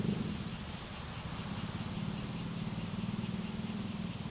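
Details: Cicadas singing: a shrill, high-pitched drone broken into quick regular pulses, roughly three per second, with a soft low murmur underneath.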